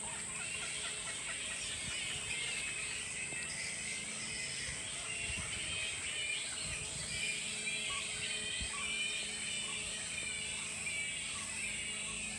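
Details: Bat colony of perhaps a thousand animals roosting in trees of a tropical park on the Sunshine Coast, Queensland, Australia; dense, overlapping high squeaks and chattering fill the air continuously over a steady high-pitched hiss.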